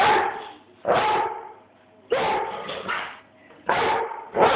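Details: Bruno the Airedale barks toward whoever films him with an Android phone; three or four long, raspy barks, each trailing off before the next begins about a second later.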